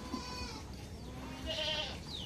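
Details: Backyard farm goats waiting before being let out; a short wavering bleat with layered overtones swells midway, set against steady low background noise and a few faint high chirps.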